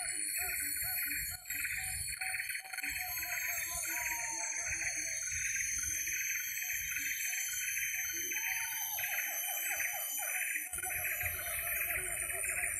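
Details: Distant siamangs in forest, heard from far away at an unknown spot, give rapid, repeated whooping notes that swell into rising hoots over steady insect buzzing.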